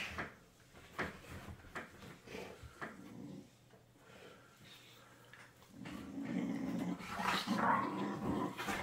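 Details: Young pit bull play-wrestling with an older rescue pit bull indoors; scattered soft growls and snuffles early on, then a sustained rough growling snarl building over the last three seconds.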